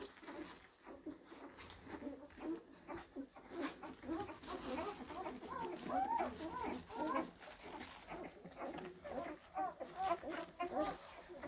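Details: A litter of blue Great Dane puppies, born April 2023, fills the room with many short, overlapping squeaks and whimpers at an uneven quick pace, while a person's voice is heard faintly at times.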